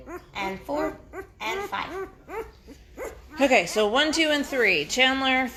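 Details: Great Bernese litter at five days old, pups of Great Pyrenees Lacey and Bernese Mountain Dog Castle, calling noisily: a run of short arched yelps about twice a second, then louder, longer wavering squeals toward the end.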